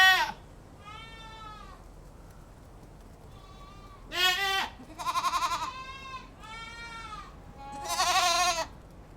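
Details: Several harmonic goat bleats over about nine seconds, some quiet and drawn-out, others loud, quavering and pulsed, the strongest near the fourth and eighth seconds, with quiet pauses between.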